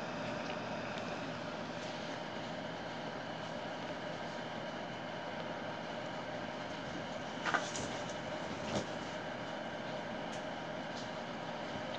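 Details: Continuous broad rumbling noise like a moving train carriage, with a few brief rattling clacks, and no animal voice.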